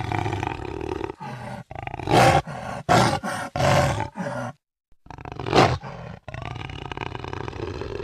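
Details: Jaguar roaring: coarse, rasping bursts of deep broadband sound in quick succession, with a silent break midway before more rough roars.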